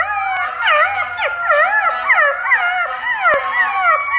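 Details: Tiny puppies howl for the first time, together in thin, wavering, high-pitched voices that rise and fall over one another.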